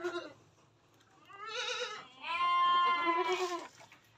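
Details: Male Etawa crossbred goat giving two bleats. A brief call is followed by a longer, strong, quavering bleat of over a second with rich overtones, against a quiet background.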